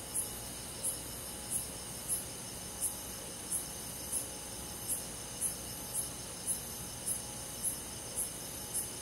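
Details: Chirping cricket on a midsummer night in the countryside: a regular train of about fourteen bright, high-pitched pulses, one roughly every 0.65 seconds, set against a continuous hiss of forest insects.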